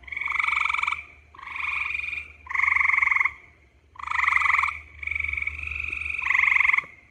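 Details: Gray tree frog (Hyla versicolor) giving its mating call: loud, musical pulsed trills about a second long, six in seven seconds with short gaps between, each a steady buzzy rattle.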